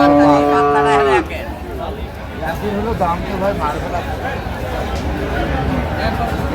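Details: Sahiwal bull calves at a cattle market in Chattogram, Bangladesh, on 25 March 2025: a loud, steady moo opens with stacked harmonics for about a second, then drops into busy bargaining voices and crowd chatter.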